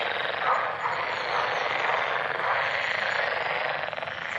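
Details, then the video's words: Frogs calling together in an unbroken, grating wash of pulsed croaks that barely rises or falls, with no clear pauses. "Frogs Go Crazy! - Frog Sounds"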